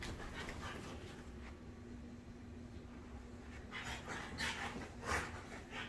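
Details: Two French Bulldogs, a black male and his red fawn sister, chasing and play-fighting indoors at night before bedtime; soft panting and scuffling, with sharper breathy bursts near the end and a low steady hum underneath.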